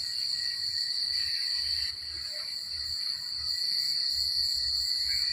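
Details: Crickets at night in a rural place, an unbroken piercing high trill over faint low rumbling background noise, with a dimmer second tone just below.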